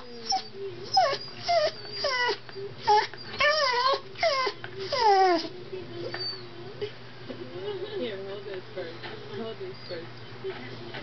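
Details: Wire Fox Terrier, male, vocalizing while sitting and watching a screen: a run of high, wavering, whine-like yelps with rising and falling pitch over the first six seconds, then softer, lower murmuring whines, with faint background sound throughout.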